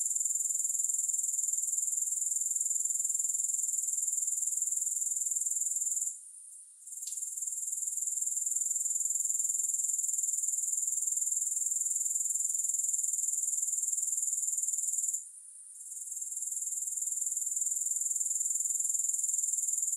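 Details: Grasshoppers give a steady, very high, shrill trill, pulsing about four times a second, broken by two brief dips in loudness near six and fifteen seconds; no music or other sounds.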